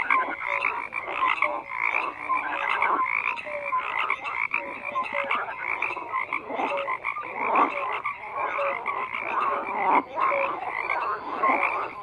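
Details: Frogs croaking in a dense overlapping chorus, rough pulsed croaks and short tonal notes layered between about 500 and 2,500 cycles, calls rising and falling in waves every second or so, with no other sounds.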